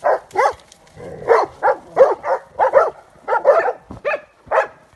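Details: Transylvanian hound training on wild boar, barking in quick rough volleys mixed with sharper, higher yelps, evenly spaced with short gaps between bursts.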